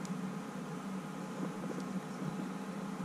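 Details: A steady mechanical hum, like a fan or air conditioner, fills the room with no animal voice.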